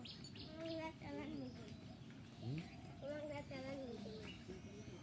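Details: Goats on a farm giving wavering, quavering bleats, several overlapping cries rising and falling, with people talking in the background.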